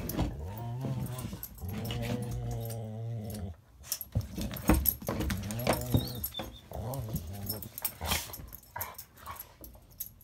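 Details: Indoor play between a Border Collie cross and a Rottweiler: a sustained deep, wavering growl for several seconds, then a pause and more broken rumbling growls mixed with scuffling, clicks and faint whimpers.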